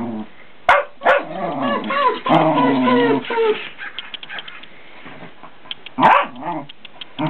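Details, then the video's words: Fox terrier barking to wake someone up as it gets late. A burst of whiny, throaty barks and yelps runs together for about three seconds, bracketed by sharp thumps, then a short quieter stretch and another yelp. "the fox terrier says GET UUUP !!!!!"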